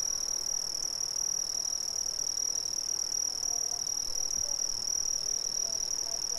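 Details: Brazilian crickets in a dense chorus: a steady, unbroken high-pitched trill holding one pitch throughout, with faint soft lower notes scattered underneath.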